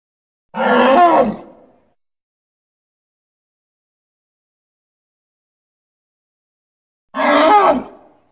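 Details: Congo hippo giving two short, rough, grunting calls with a strained tonal quality, each about a second long and set far apart in a quiet background.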